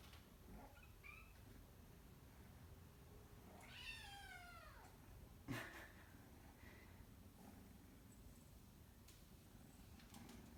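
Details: A kitten meows while wanting to go outside, staying at a person's feet: one long drawn-out meow, rising then falling, near the middle, with a few short softer chirps before it, quiet indoor room.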